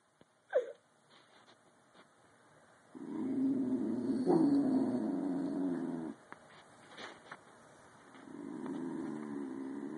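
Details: Bull Terrier puppy yawning: a soft click near the start, then a long, low, breathy drawn-out groan lasting about three seconds, quieter stretches, and a second low groaning exhale near the end.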